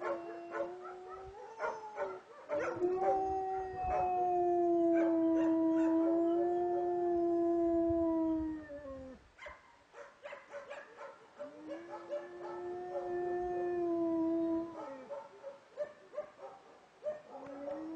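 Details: Two dogs, a son and his father Aron, howling in unison near a cottage in 2009; drawn-out wavering howls lasting up to six seconds, tailing off downward, interspersed with brief yelps and barks.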